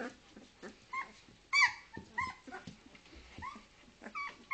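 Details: Two-week-old Leonberger pups at a Norwegian kennel giving scattered soft whimpers and squeaks, brief nasal cries with gaps of quiet between them, one louder squeal near the middle.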